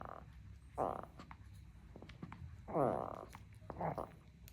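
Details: Spitz dog indoors making strange sounds: three short, warbling, grumbling vocal bursts with a wavering tone, spaced about a second or two apart, amid faint room noise.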